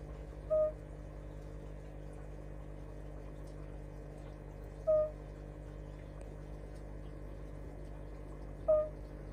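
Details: Fire-bellied toad, Bombina bombina, singing: three soft, pure, hooting notes, each short and slightly rising, spaced about four seconds apart over a steady low background hum.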